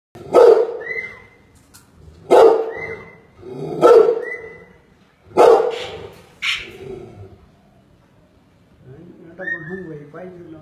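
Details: Rottweiler being offered for sale, barking at something it has noticed: four loud, hoarse barks about one and a half seconds apart, then a softer, higher yelp and a fainter drawn-out whine, with people talking nearby.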